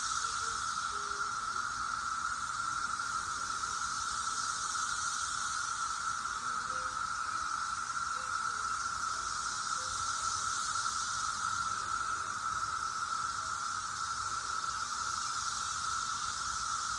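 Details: A dense cicada chorus in 2021 makes a steady, droning whine that never lets up.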